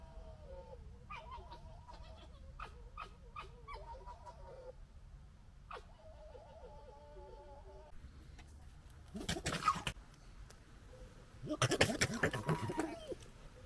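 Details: Foxes gekkering and fighting: a run of stuttering, wavering whines and chatters over the first five seconds, then harsh bursts of screeching noise near ten and twelve seconds.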